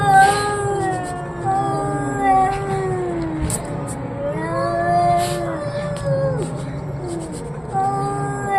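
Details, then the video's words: Cats arguing in a low, moaning exchange of wavering yowls that bend up and down, with brief pauses and faint clicks and knocks in the background. "The sound of cats arguing"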